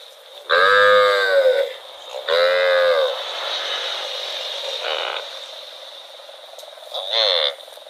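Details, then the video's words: Cow wandering in rural rice fields gives two loud, drawn-out harmonic moos about a second and a half apart, each lasting roughly a second, then a fainter call and a short one near the end over a steady background hum. "Cute cow wandering in rural rice fields - Funny cow sound"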